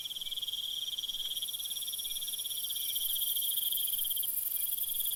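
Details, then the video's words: Night chorus of crickets: dense, rapid high-pitched trills layered in several bands, very steady and rising slightly in loudness toward the end. "Night Mood Crickets Sounds for Deep Sleep"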